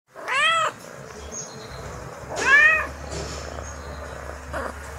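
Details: Domestic kittens at play give two clear meows, each a rising-then-falling harmonic cry under a second long, separated by about two seconds, followed by softer scuffling and a faint higher squeak over low background hum.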